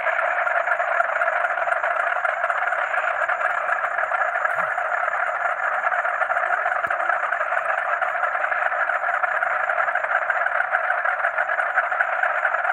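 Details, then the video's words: Frogs calling at night alongside crickets: a dense, unbroken chorus of overlapping croaks forming a steady mid-pitched wash, with a thin high cricket trill running constantly above it. "Frog and Cricket Sound"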